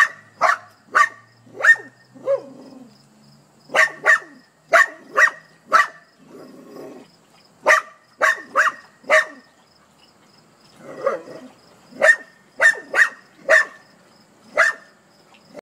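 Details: Dog barking at a hedgehog in a long series of sharp barks grouped in quick runs of three to five, separated by short pauses with soft whines and rustling.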